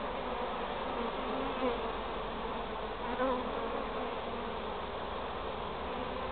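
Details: Continuous buzzing drone of a honey bee swarm during queen marking; broad steady hum with a couple of slight swells in loudness, no other animals heard.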